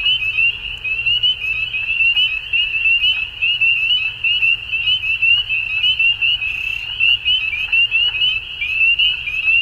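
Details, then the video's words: Frogs at dusk call together in a steady, shrill trilling chorus, dense chirps fused into a bright continuous tone, with a brief higher hiss partway through and a gentle low rumble underneath. "Frogs At Dusk"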